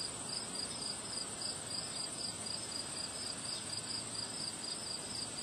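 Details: On a windy day, crickets chirp in bright, sharp pulses about four per second over a high continuous ringing tone, while wind rushes and swells in the background.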